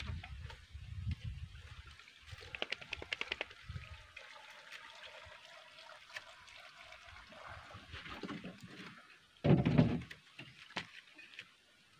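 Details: Quiet trickling and pouring water with low rumbles and a brief louder splash near the end, no animal calls.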